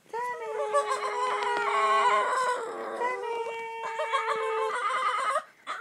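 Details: Lhasa Apso dog singing indoors: long, sustained, wavering howls held steady for several seconds, with slight rises and falls in pitch and a brief dip midway, no other clear sounds.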